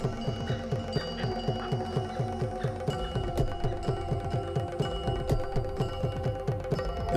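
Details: Rhythmic mallet percussion music with bell-like tones plays steadily, with no animal sounds heard. Repeated low struck notes carry the beat while higher chiming tones ring above.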